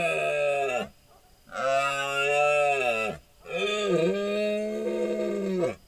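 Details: Big deer stag bellowing in the dark during the rut, recorded by a hunting trail camera: three long, deep, droning bellows, each lasting one to two seconds, separated by short quiet pauses.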